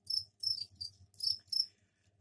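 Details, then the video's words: Captive crickets kept in a container, freshly cleaned, with a soil tray for egg-laying; several short high chirping trills in bursts of about a quarter second, separated by brief gaps, with faint low hum beneath. "Сверчковые трели"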